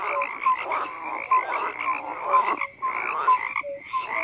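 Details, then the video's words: Crowded frog chorus: rapid rasping croaks and short clear tonal blips repeating, with a few brief dips in the calling before the voices swell again. "FROGS CROAKING"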